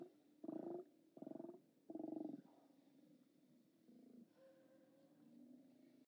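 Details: Steller sea lions at a haulout, 29 October 2017: three loud, harsh roars in the first two and a half seconds, then quieter, softer grumbling calls from farther off.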